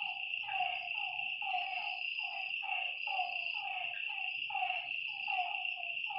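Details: Frogs calling at night by a lake, a rapid series of short, harmonic croaks, each dropping slightly in pitch, about two per second, over a steady high insect trill.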